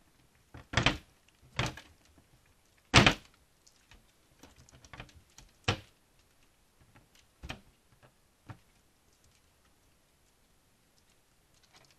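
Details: Loud irregular thumps and knocks, like bin lids and containers being banged, separated by quiet rustling, with no animal voices heard.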